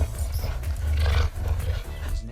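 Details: Cheetah growl, a species that cannot roar but makes sounds ranging from growls to purrs: a deep, continuous low rumble that swells and fades with steady throaty texture throughout, with faint higher hiss above.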